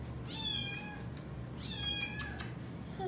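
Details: Widget, a female Domestic Shorthair cat up for adoption at a rescue, filmed indoors on 15 October 2020, gives two clear rising-then-falling meows about a second apart, with faint background music.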